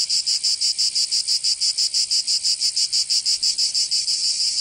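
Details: Provençal cicadas in summer, southern France: high, sizzling buzz beating steadily about three times a second, the throb softening into a continuous hiss near the close.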